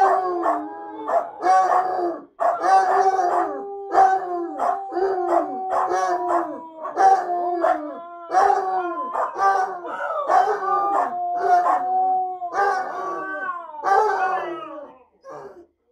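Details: Three dogs, a Husky, a Basset Hound and a small dog, howling as a group while their dinner is made; broken chorus of wavering howls, yips and short bursts repeating about every second, voices overlapping.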